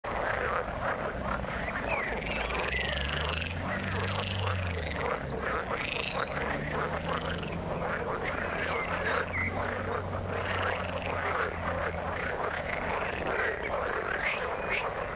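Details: Frogs calling in the water, a dense overlapping chorus of short croaking notes packed between low and high pitches, with a steady low hum running underneath much of the recording.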